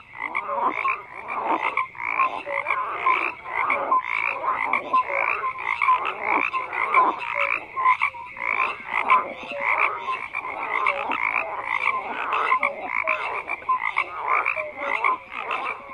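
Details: Croaking frogs in a large chorus, rhythmic bursts of rough pulsed calls repeating roughly every second, with a few short mid-pitched whistled notes woven among them.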